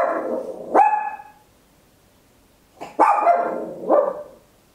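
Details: A tiny Papillon, recorded at home, gives sharp, high, very loud barks, one alone and then a quick pair.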